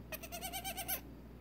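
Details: Nigerian Dwarf doe kid, just over six hours old and trying to stand after syringe-fed colostrum, lets out a rapid pulsing, vibrato bleat of nearly one second that dips at the end.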